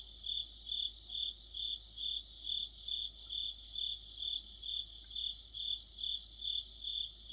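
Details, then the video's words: Autumn insect chorus led by crickets, recorded near a streetlamp: steady high trilling with pulses swelling and fading roughly twice per second, overlapping callers, faint low hum beneath. "가을의 한 복판 곤충들의 합창"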